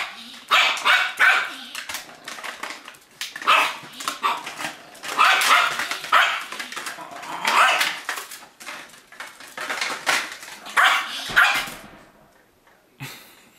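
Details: Yorkshire terriers at play, one attacking a cup while another cheers him on; rapid high yappy barks in quick bursts, repeated throughout for about twelve seconds before stopping.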